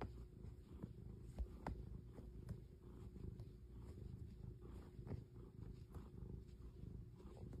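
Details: Quiet, low rumbling purr from a cat, a steady throaty drone with faint soft pulses recurring through the clip and no other clear sounds.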